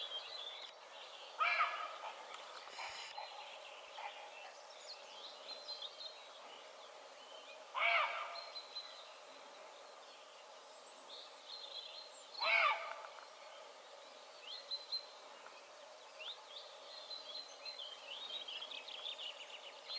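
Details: Roe deer in Haute-Loire, observed 25 May 2022 after apparently eating too many buds, giving three harsh, rasping barks about five seconds apart, with soft birdsong filling the gaps between them.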